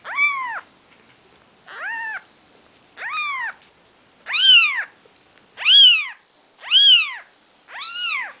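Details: Four-day-old Maine Coon kittens, Nikita's babies, give seven loud, high, arched mews, each rising then falling, roughly one per second with short silent gaps between.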